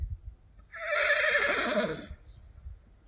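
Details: Arabian horse neighing: one loud, shrill, wavering whinny of about a second and a half, bright and quavering throughout, then quiet with faint low rumbles and clatter.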